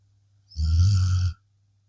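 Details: Sleeping blue Akita Inu, worn out after a long day, gives a single deep, rumbling snore lasting under a second, low and grunting with a faint breathy overtone, in an otherwise quiet room.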